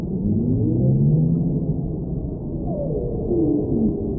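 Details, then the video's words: Whale song for relaxation: layered low moans slowly gliding downward, with a brighter descending sweep near the end, over a steady underwater rumble. "Whale Sounds"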